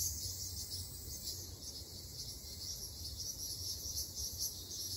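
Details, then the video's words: Ryukyu large brown cicada chorus from a summer Okinawa forest, a steady hissing, frying buzz with faint rhythmic pulsing, over low background hum. "リュウキュウアブラゼミ Graptopsaltria bimaculata 蝉の鳴き声"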